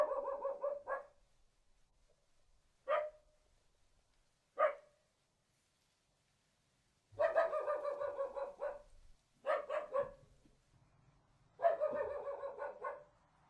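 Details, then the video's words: Small dog yapping in rapid strings and lone barks: a short series, two single sharp barks, a pause, then three longer rattling runs of quick barks with faint low background rumble. "Small dog barking"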